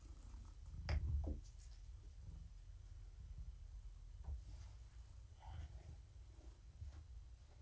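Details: Female rescued house cat being stroked in the evening, purring continuously with a low, even rumble; a brief louder bump of handling noise near the start and light rustles over the steady purr.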